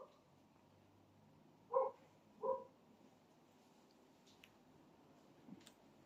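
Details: Dog barking: two short, soft barks less than a second apart, then quiet background with a few faint clicks.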